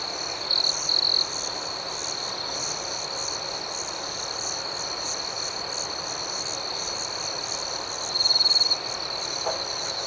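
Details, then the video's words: Crickets at night: two quick, loud, high trills from a close caller open the recording, a third follows near eight seconds, all set against an unbroken shimmering chorus of many chirpers. "Soothing Cricket Sounds"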